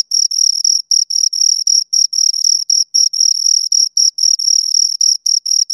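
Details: Persistent chirping of two crickets: bright, high, buzzy pulses repeating rapidly with small irregular pauses, the only sound present.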